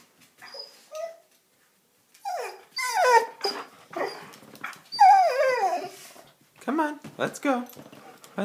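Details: A young German Shepherd, one year seven months old, talks back with a string of whines and falling howl-like yowls, wanting to go outside to play. Some notes are long and some clipped, and a person's voice overlaps at times.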